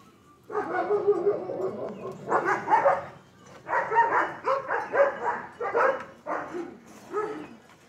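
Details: German Shepherd puppies, a litter of two liver and tan and one black and tan, give a run of short yelping and whining bursts, grouped in clusters with brief pauses between them, close and clear.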